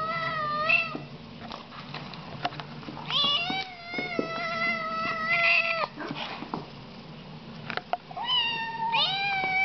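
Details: Siamese kittens meowing loudly, overlapping long nasal cries that rise and stretch for over a second, with soft clicks and shuffling sounds in between.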